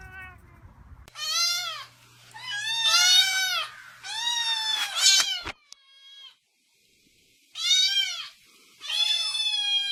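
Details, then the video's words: Angry domestic cat letting out high, wavering, rising-and-falling yowls in several bursts with a silent gap midway; a low hum sounds under the first calls. "Weird Cat Sounds!"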